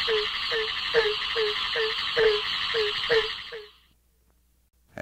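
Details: Barking Treefrogs (Hyla gratiosa) give low, hollow barking notes in quick succession over a dense chorus of about ten other frog species, recorded at a breeding pond in Highlands County, Florida.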